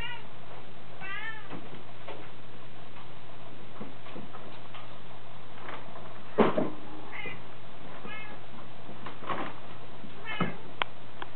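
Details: A Scottish Fold kitten meows in short, wavering calls scattered through the recording, with sharp knocks and a steady low hum beneath.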